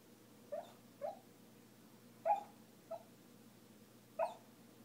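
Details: Kuma, a dog talking in her sleep, gives five short, muffled whimpering yips at uneven intervals over a low steady hum.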